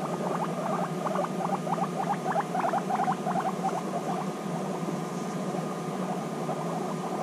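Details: Two guinea pigs back together after six months apart in an intense bonding meeting, giving quick rattling chutters in fast bursts, some squeaky upward flicks, loudest in the middle seconds.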